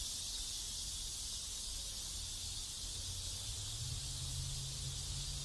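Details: Cicadas in a neighbourhood in South Korea keep up a steady, dense, hissing drone high in pitch, unbroken throughout, over a low background rumble.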